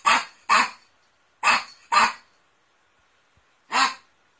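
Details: Poodle named Dandy, from a 2016 compilation of poodle barking and howling, giving five sharp, bright barks: two quick pairs about half a second apart, a pause, then one last bark, with silence between.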